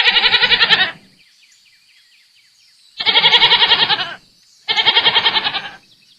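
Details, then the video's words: Goats bleating: three loud, wavering, nasal bleats of about one second each, separated by short silences, with a faint steady high tone in the background. "Som de Cabra - Cabras Berrando"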